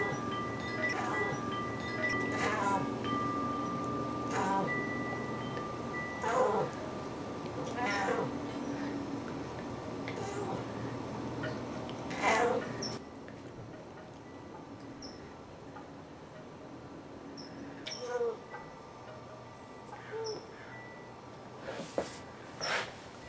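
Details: In the afternoon, a talkative Siamese cat meows repeatedly in drawn-out, wavering calls while wind chimes ring in the background.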